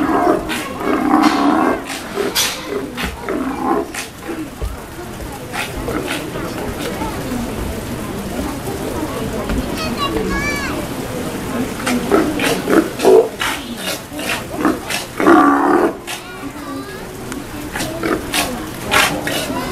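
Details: Steller sea lions give deep, rough roaring growls at feeding time at an aquarium in Kamogawa, Japan, with voices and splashing around them; recorded 2 January 2017.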